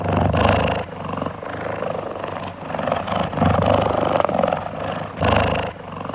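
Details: A relaxed cheetah (Acinonyx jubatus) purrs loud and deep, a steady rumbling that swells and fades with each breath, a sign of contentment; cheetahs purr like house cats and cannot roar.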